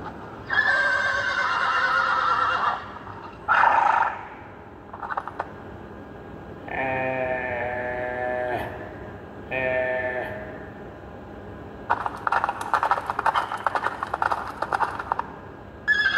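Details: Young mare calling to a stallion: a long harmonic whinny opens, followed by shorter wavering neighs with stacked tones, then a rough, buzzy stretch of repeated pulses near the end.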